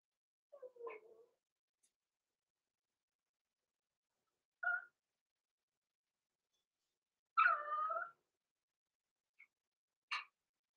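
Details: Six-week-old blenheim Cavalier King Charles Spaniel puppies, Roman and Blue, born November 14, 2022, overnight in the Red Barn Cavaliers puppy pen indoors: scattered short whimpers and yelps, one longer wavering whine near the middle, separated by quiet pauses.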